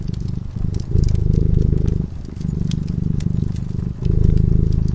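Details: A cat asleep by a cozy fireside purrs in a deep, continuous vibrating rumble that alternates between louder and quieter phases every second or two, while scattered crackles of burning wood sound in the background.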